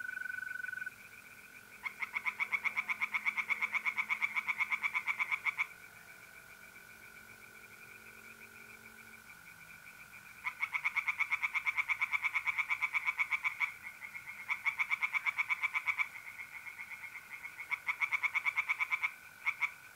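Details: Tree frogs singing at night in a pond in north-east Italy in mid-April: loud bursts of rapid, rattling pulses lasting several seconds, separated by pauses, over a steady high trill of mole crickets.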